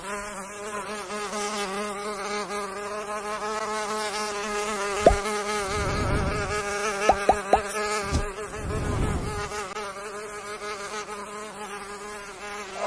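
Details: Mosquito buzzing: a continuous, steady nasal whine with many stacked harmonics holding through the whole recording, broken by a few sharp clicks and brief broadband rustling bursts midway.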